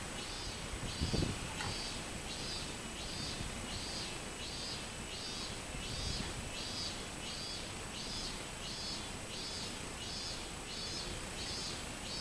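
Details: Robust cicada singing on 24 July 2016: high, rounded pulses repeated steadily about once a second throughout, over constant low rumble and hiss.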